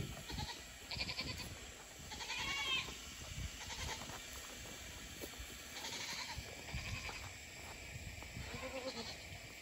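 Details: A goat playing on a circle of stumps gives short wavering bleats with bright harmonic bands, a few spaced across the clip, over steady background hiss and scattered knocks and thumps.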